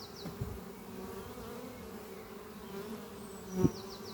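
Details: On a spring morning, worker honey bees bringing pollen to the hive Doppio, set under some trees, keep up an even, deep humming buzz. A short high bird trill is heard at the start and another near the end.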